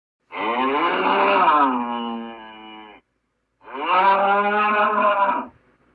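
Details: Gaur giving two long, deep, mooing calls with rich harmonics; the first swells, then fades into a softer drawn-out tail, and the second follows after a short pause, both steady and nasal, with no other sounds.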